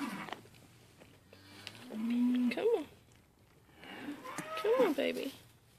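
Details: Two Mini LaMancha goats bought from a sale barn, being tamed and eating from a hand: two drawn-out, wavering bleats a couple of seconds apart, each rising then falling, with a soft low murmur and rustling early on.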